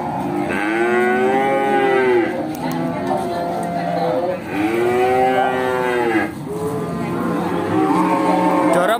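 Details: Simmental cattle at Bekonang market in Sukoharjo, Central Java, low two drawn-out moos with an arched, rising-then-falling pitch, the second sliding down at its end, against steady background music.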